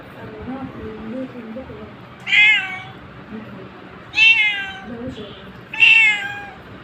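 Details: Cat meowing three times, roughly every two seconds, each a short bright wavering cry that drops slightly in pitch; soft human voices murmur in the gaps between calls.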